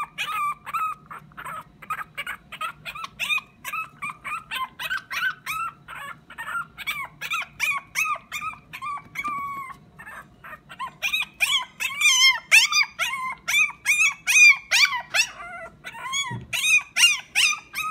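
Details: A small, round Pomeranian dog cries sweetly, pleading for something: high, thin whimpers that bend in pitch, repeated quickly at about two or three a second, pausing briefly near the middle, then louder and more urgent toward the end.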